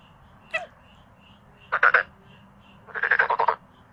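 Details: Male black-spotted pond frogs calling; a brief click, then two separate short rattling croaks, the second longer with about eight rapid pulses, over quiet background with faint distant calls.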